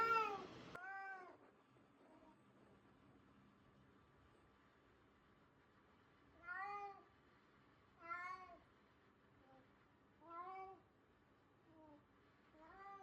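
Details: Stray cat that turned up in a garden giving threatening calls: drawn-out, wavering meows with a rise and fall, repeated roughly every one and a half to two seconds after an opening burst, with quiet gaps between them in an indoor setting.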